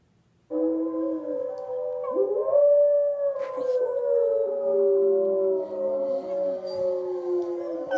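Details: A female Schnauzer howls along with wild wolves on TV, giving a sustained, gliding howl that rises and falls while other howling voices overlap in a layered, mournful chorus.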